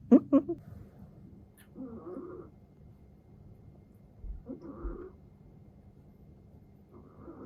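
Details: Exotic Shorthair cat named Shishamo snoring while asleep, a flat-faced breed prone to snoring; soft breathy rasps recur about every two and a half seconds, each a low hoarse rattle, with a few sharper snorts at the start.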